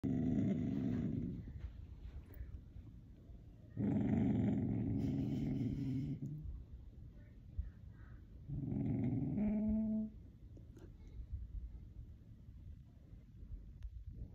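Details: A Beagle Bloodhound mix puppy, lying with its head down, gives low, drawn-out growling barks in three bursts with quiet gaps, wanting to attack something outside.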